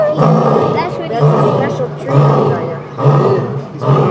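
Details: Captive lion in its enclosure at the Buffalo Zoo, near the end of a roaring bout. Deep, booming grunting roars repeat about once a second, and onlookers talk in the background.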